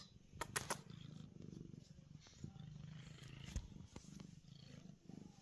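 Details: Pearl the cat purrs contentedly on a basement's concrete floor; low rhythmic purring comes in bursts of a second or so separated by short pauses, mixed with sharp clicks and taps from her moving.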